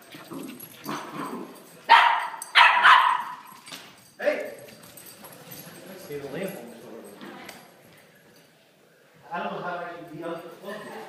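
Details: Puppies at play give a burst of loud, sharp barks and yips early on, then softer whimpering sounds, with human voices mixed in toward the end.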